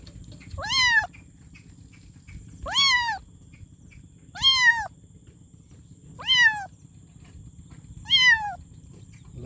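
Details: Kitten calling for its mother: five high, rising-then-falling meows about every two seconds, each sharp and harmonic-rich, over a steady low hum and faint high-pitched electronic whine.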